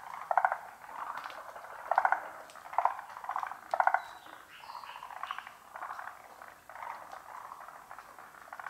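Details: Pond frogs in full chorus: loud pulsed croaking bursts repeat roughly every second early on, then give way to softer, continuous rattling calls from the hidden group.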